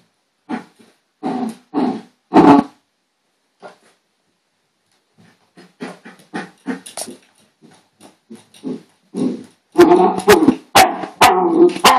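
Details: A female pet dog in a hyper, excited moment gives bursts of short harsh barks and growly yaps, first in three loud groups, then after a pause a fast irregular run of yaps ending in dense loud barking.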